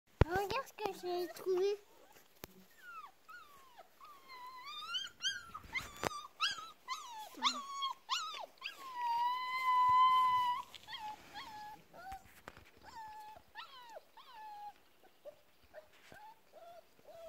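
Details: Four-week-old black male Bernese mountain dog puppy whining in thin, high, wavering whimpers and squeaks, including one long steady whine near the middle, while a woman talks softly in French with clicks and handling noises.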